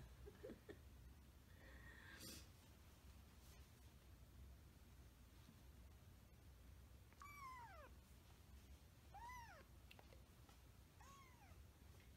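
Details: Kitten meowing, recorded in its kittenhood: three high, arched mewing cries in the second half, each a short rising-then-falling whine, with a few faint sounds and a brief noise burst earlier over steady low background hum.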